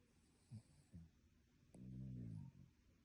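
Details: Dog sleeping and snoring in a humanlike way: two short, soft snuffles, then one longer, deep, buzzing snore held for almost a second before it stops.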